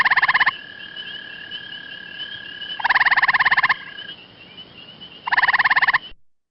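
Gray treefrog giving three short, rapid, musical trills, each under a second, spaced a couple of seconds apart, over faint steady high tones.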